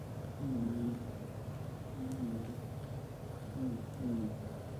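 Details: Sleeping British Shorthair father cat, black golden, curled up with his mate and kittens and snoring loudly: paired whistling nasal notes that dip in pitch, recurring roughly every one and a half seconds above a constant low hum.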